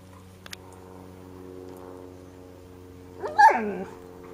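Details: Four-week-old Golden Retriever puppy, one of six pedigree pups placed outdoors in a playpen for the first time, Haute-Savoie, France, late September 2013; a single wavering whimper rising then falling near the end, after a steady low hum.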